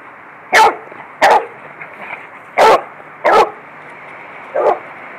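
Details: Beagle barking while playing with a Lab in a yard; five loud, bursting barks spaced slowly and unevenly, the last one softer than the rest.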